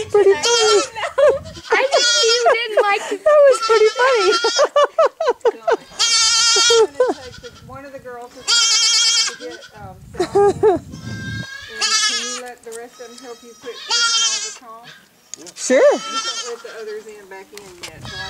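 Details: Noisy baby goat giving repeated trembling, nasal bleats in bursts across the recording, interleaved with people talking nearby.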